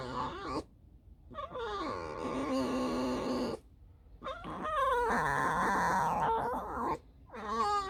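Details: Alice, a pet fox resting after roaming alone all night and digging many holes, makes long harmonic squeaky whines in drawn-out, wavering bursts separated by short silences; a woman's voice comments nearby indoors.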